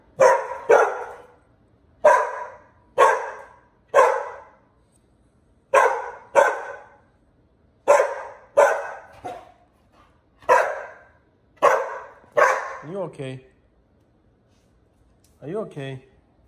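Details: Pit Bull named Bullet being pestered by a young puppy, Liberty: a run of about fourteen short, sharp barks at irregular one-second spacing, ending in a few wavering whines.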